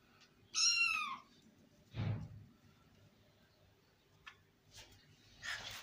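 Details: Pet kitten indoors in a room: one loud, high meow with a bright harmonic stack, rising and then falling over about half a second, followed by a low thump, a faint click and a soft rustle.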